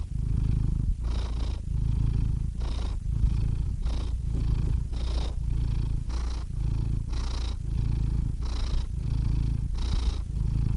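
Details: Close, relaxed cat purring, a rich low rumble in quick breath cycles under a second long, each separated by a short breathy gap, even and unbroken for the whole stretch.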